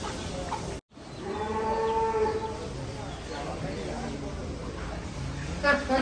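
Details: Cattle in a barn holding about a thousand head at Setia Farm; one long, steady harmonic moo lasts about a second and a half, with people talking quietly and general barn noise behind it.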